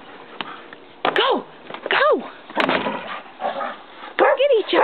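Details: Kerry Blue Terriers, two named Kirby and Maggie, playing outside in snow; several sharp arched barks roughly a second apart, with a woman's excited voice urging them on between barks.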